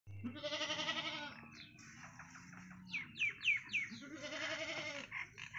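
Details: Baby goat drinking milk from its mother, with bleating heard: a long wavering bleat, a run of short rapid bleats, then another drawn-out quavering bleat, over a low steady background hum.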